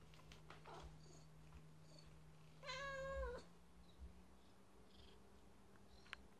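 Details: Usually quiet domestic cat meowing in excitement over a new treat; one drawn-out, slightly falling meow with rich harmonics, set against a steady low electrical hum and a few soft knocks.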